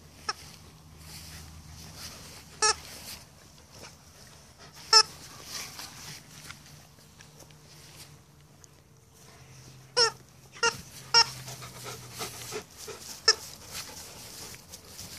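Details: Two Alaskan Malamutes, cousins born three days apart, playing and play fighting in their big yard; brief high yelping, whining calls break out in scattered bursts, clustered near the start and again toward the end, over a quiet background.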